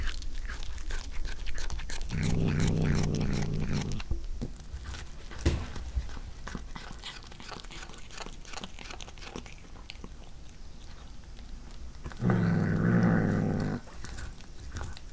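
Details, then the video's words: Cat chewing corn for the first time, with steady mastication sounds and two distinct deep growling bursts of about two seconds each, one early and one near the end. "初めてのトウモロコシを唸りながら食べる猫の咀嚼音🌽🐈🎧Cat Eating Corn"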